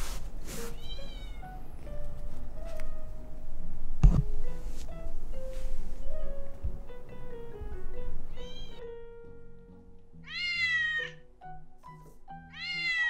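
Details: Ramune, a male Scottish Fold born 28 December 2019, while apps said to translate cat talk are tried: music dominates most of the stretch, then a few falling, harmonic meows break through near the end.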